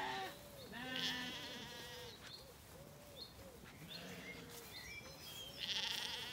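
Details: Zwartbles lambs in an orchard in County Kilkenny, Ireland, on an evening after weaning, settled and wandering. Several overlapping harmonic bleats from a few animals, with some birdsong above.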